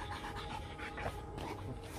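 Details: Rottweiler, one of two sisters from the same mother, Gina and Hanna, being introduced so they can live together peacefully after a scuffle; quiet, steady rhythmic breathy panting over a low continuous hum, no barking.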